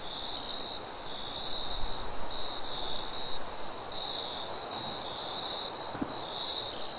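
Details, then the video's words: Crickets chirping at night in a forest: a steady, high, shrill trill broken into short pulsed bursts about every half second to second, with a fainter, even higher constant whine above, over a low rumbling wind. "Nighttime Forest Ambience - Crickets and Sound of Wind"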